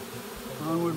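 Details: A swarm of Western honey bees being caught marches uphill into a nuc box, giving a steady, low droning hum that swells and grows richer toward the end.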